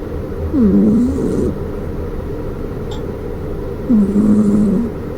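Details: Exotic Shorthair cat Maruko, flat-nosed, snoring like an old man: two drawn-out, low wheezy snores about three seconds apart, each with a droning nasal whistle, over a steady room hum.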